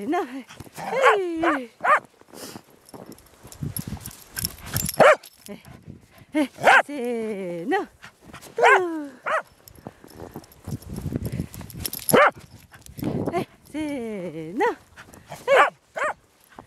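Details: Corgi playing in the snow, letting out bursts of short, yelping barks that drop in pitch, repeated in clusters throughout, mixed with human voices talking and laughing nearby.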